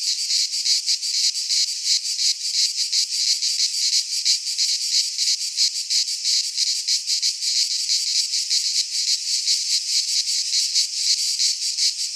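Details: Many cicadas in full song in a Greek pine forest during midsummer, giving a dense, grating high-pitched drone with rapid rhythmic throbs near three per second, constant from start to finish.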